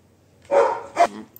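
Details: Labrador Retriever, a pet dog named Sophie, indoors at home: two short, loud barks, the first longer and rougher, the second a brief sharp yelp about half a second later.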